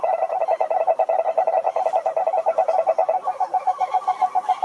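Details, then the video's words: Several frogs singing at a pond, fast rhythmic pulsed croaks about three per second, strong and steady, with a second caller joining higher near the end. "Sapos Cantando na Lagoa"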